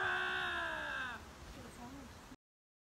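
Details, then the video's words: Two lynxes facing off against each other: a loud, sustained wailing yowl with rich harmonics holds steady, then slides downward and fades after about a second. Faint lower, wavering cries follow, over a low background rumble. "Así son los extraños gritos de dos linces enfrentados"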